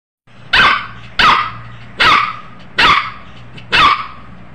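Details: A one-month-old Pomeranian puppy gives five sharp, high barks in steady succession.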